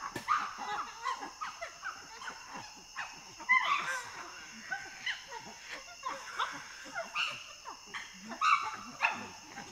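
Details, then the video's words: Chimpanzee pant hoot building into loud screams and barking, with panting; a rapid series of breathy hoots rising in pitch and loudness, peaking in sharp high cries around the middle and again near the end, with a steady background hum. "Chimpanzee. Pant Hoot Developing Into Loud Screams & Clean Barking. Panting & Gr"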